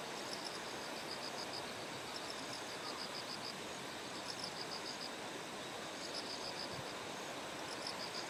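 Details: Bell cricket by terraced rice paddies in Kikuchi, Kumamoto Prefecture, Japan, on the morning of 6 September as Typhoon No. 10 approached; high, ringing pulsed bursts recur every second or two over a steady hiss of flowing stream water.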